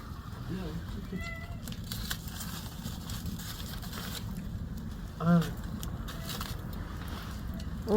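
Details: Pet cat at home in the evening gives two brief meows, a thin one early and a clearer arched meow near the end, heard beneath steady Korean conversation and low household rumble.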